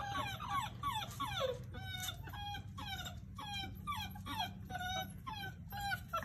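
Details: Puppies in company with their parents whimpering and whining: high, harmonic cries that slide downward, repeated in quick uneven bursts through the whole recording, with a faint low hum underneath.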